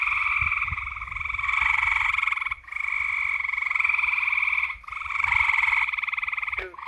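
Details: A nighttime frog chorus of loud, rapidly pulsed buzzing trills comes in long bouts. It breaks off briefly about every two to three seconds and then restarts.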